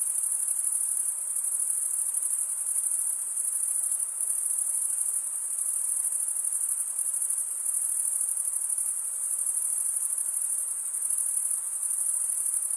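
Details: Continuous chirping of crickets, males stridulating: a dense, even, high-pitched ringing trill with gentle rhythmic pulsing and no background noise.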